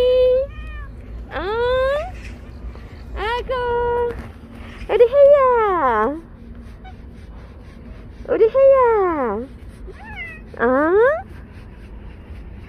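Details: Morning feeding of stray cats, with Hyeya greeted as she waits: a run of seven insistent meows, some short and rising, others long and wavering up and down, separated by brief pauses, against a quiet background.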